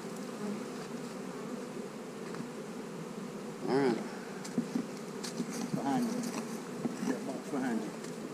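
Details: Hive of honey bees on split day, with queen cells in the splits, giving a dense, continuous low drone, with a few brief faint voices and clicks over the hum.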